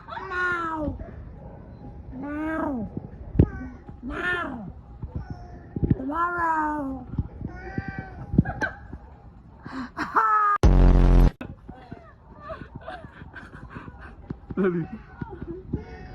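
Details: Domestic cat meowing again and again, each meow a rising-then-falling drawn-out cry roughly every one to two seconds, with a sudden loud rasping burst partway through and softer meows afterwards.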